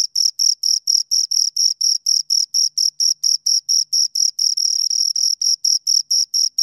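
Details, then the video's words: High, shrill cricket chirps from two crickets, a rapid steady pulse train of about four chirps per second, a couple of bursts briefly merging into a continuous trill, clean background. "Two Crickets Chirp Sounds"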